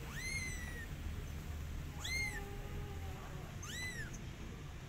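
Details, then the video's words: Kitten calling its mother cat: three high, arched meows, the first drawn out and falling, the others short and rising then falling, over a low steady background rumble. "Cute Kitten Meowing And Calling Mother Cat"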